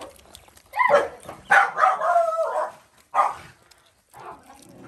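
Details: Stray mother dog on a farm in Cambodia, guarding her puppy as a boy hands it food and wanting to bite him: two drawn-out, harsh, growling barks in quick succession, then a short sharp one and a softer trailing grunt.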